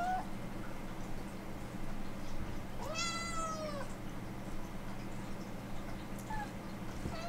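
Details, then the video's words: Siberian Forest Cat begging to go outside to play in the yard: one long, rising-then-falling meow lasting about a second, with a short faint mew later, over a steady low indoor hum. "Cats BEG To Go Outside"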